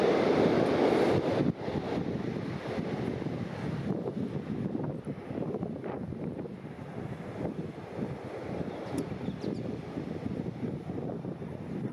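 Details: Steady wind rumble and roaring background noise, like surf or a passing engine, with no animal calls standing out.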